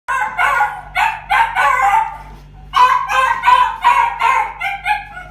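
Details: Female Chihuahua puppy born 27 August 2019, white-black and tan coat, at a pet shop: bursts of shrill, harmonic yaps in quick clusters, a short pause mid-way, then another rapid run of high barks.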